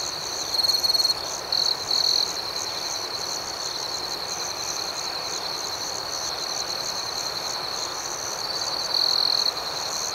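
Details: Chirping crickets at night, a dense high-pitched chorus with a nearby caller sounding three quick shrill trills at the start and a longer one later.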